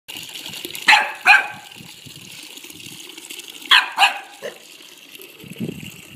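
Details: A 4-month-old female corgi puppy barks at a running water tap in two quick pairs of shrill, clipped yaps, each pair about a third of a second apart, with the steady rush of water filling the pauses.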